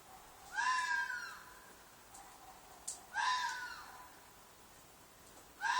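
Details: A red fox in a field behind an apartment gives loud, harsh, drawn-out screams at sleeping time, each a raspy wail repeated every few seconds; the call may be a mating call.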